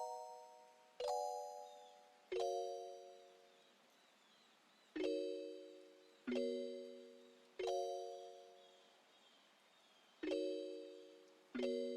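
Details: Bright doorbell-like chimes ring out every one to three seconds, each fading slowly over a quiet background, with no animal sound heard.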